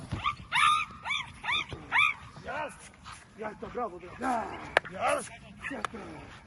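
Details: XXL American Bully named Bora, a female, barking in bite training with a man dressed in red: a fast series of sharp, rising-falling barks, roughly two per second, over a man's Romanian commands and praise.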